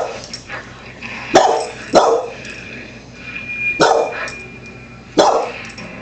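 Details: A Wheaten Terrier indoors barks at a dog-training show on TV, giving four loud, separate, abrupt barks spaced one to two seconds apart, with faint TV sound underneath.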